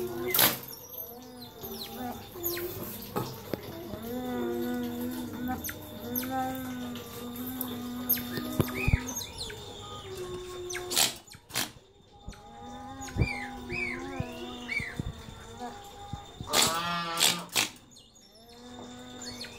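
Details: Pet otters trade high, rising squeaks and chirps over lower, whiny held tones, with a few sharp knocks, as one naughty otter bothers the others.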